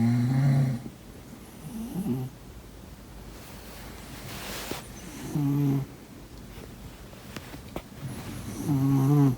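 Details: Domestic cat asleep and snoring: a low, throaty rattle opens the recording, then a long quiet stretch of faint breathing before two more buzzy, rumbling snores near the middle and end.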